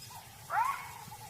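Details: A single sharp jackal bark, rising quickly then levelling off, given as an alarm call at a leopard near its den; vervet monkeys echo it with distant chattering alarm calls.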